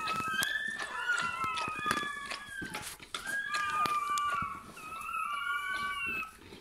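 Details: Indoor birth of a Bernese Mountain Dog puppy; the newborn cries in a run of shrill, wavering squeaks and whines, about three or four per second, with faint clicks and rustling behind.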